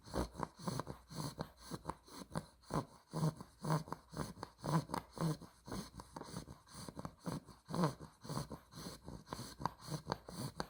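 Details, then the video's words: A two-month-old female Olde English Bulldogge puppy (blue merle tri) snores in her sleep in loud, rough, snorting breaths, roughly two each second. "OLDE ENGLISH BULLDOG SNORES WHILE SLEEPING"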